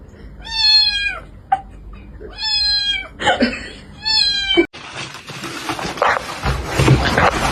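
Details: Pet cat described as extroverted, giving three drawn-out, richly harmonic meows in quick succession, each sliding down at the end, followed by a burst of broad rustling and handling noise.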